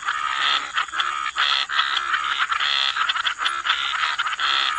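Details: Croaking frogs at the waterside, loud continuous chorus of harsh, buzzy croaks in overlapping bursts roughly every half second, with a thin steady high-pitched hum behind.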